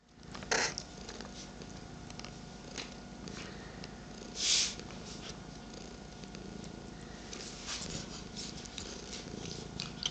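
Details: Morning rumble from pet cats Sweetie, 13 years old, and Petie, 8 months old, with Paisley on a lap indoors: a steady, low, grainy purr running throughout, with two brief rustling bursts near the start and middle.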